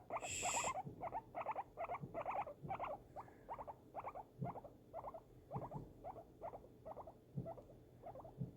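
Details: Guinea pig being cuddled indoors as fireworks go off nearby. It gives a steady run of short, paired, buzzy harmonic pulses, roughly one per second, after a brief hushing sound at the start. Low thumps sit underneath.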